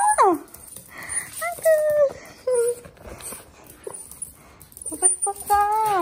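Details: Miniature Pinscher greeting its owner after three days apart: high, sliding whimpers and drawn-out whines that drop in pitch and then hold steady, coming in short excited bursts with a person's voice between them.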